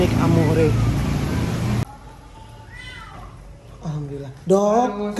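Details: Injured cat hit by a vehicle and left at a roadside drain, jaw broken, rescued and taken to Klinik Amore 5 BSD on a rainy day; a burst of traffic noise and speech gives way to several harmonic, wavering meows, some falling in pitch.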